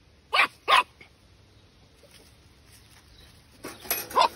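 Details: Patterdale Terrier puppy, twelve weeks old, giving two short sharp yaps close together, then a quiet pause before a second cluster of three fainter, higher barks near the end.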